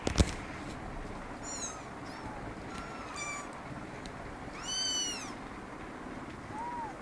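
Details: Kittens beside their mother cat in an office store room give a few thin, high mews, one clearer bending cry near the fifth second, after an opening knock, with low room rumble throughout.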